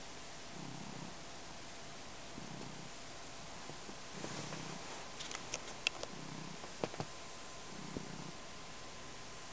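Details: Purring house cat Neo, kneading and drooling on a blanket; low rumbling purr swells in regular breaths roughly once per second, while faint scratchy clicks of paws working the fabric sound in the middle.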